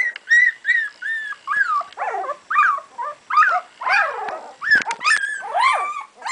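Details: Sami and Drake's puppies at two weeks of age, clear piping whines in quick succession, several sliding downward, with one sharp click near the middle and overlapping squeals toward the end.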